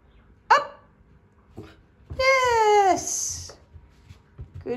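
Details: Aurora, a female dog, speaking on command during a training session: a short sharp yip, then a drawn-out, harmonic, whining howl lasting under a second and sliding downward in pitch, with quiet praise from the trainer around it.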